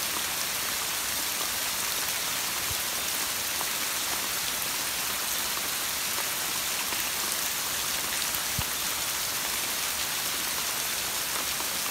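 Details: Steady rain pattering on leaves and surfaces, with no animal voices heard.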